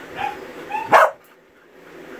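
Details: A male Norwegian Buhund "talking" as if getting thoughts off his mind: two short whiny tonal notes, then a sharp, loud bark-like yelp, followed by near silence in a quiet room.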